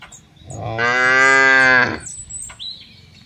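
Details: A cow among many cattle on an oil palm plantation in Central Lampung, Indonesia, gives a single long, steady moo lasting over a second, with faint birdsong behind.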